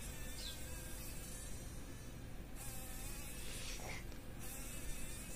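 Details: Fly fighting for its life in a spider web inside a workshop corner; continuous low buzzing drone with slight pulsing, steady throughout.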